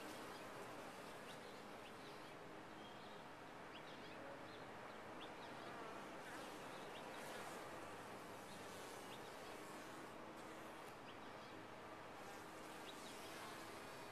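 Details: Continuous low hum of a honey bee colony in a top-bar hive, thick and unbroken for the whole stretch, while small birds give faint scattered high notes behind it.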